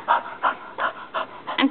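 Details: Naomi, a pet dog that dislikes the Razorback, pants in quick rhythmic bursts roughly three times per second while a woman talks to her.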